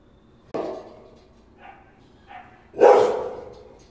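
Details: Rottweiler. A Rottweiler barks in loud, broad bursts with a deep, rough tone. Quieter huffing sounds fall between the two strongest barks, and a third bark starts as the recording ends.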